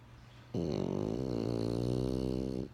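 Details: Single sustained snore from Benjamin the French Bulldog, a steady low rattling drone with a rich buzzy tone that lasts just over two seconds before cutting off, over quiet indoor hum.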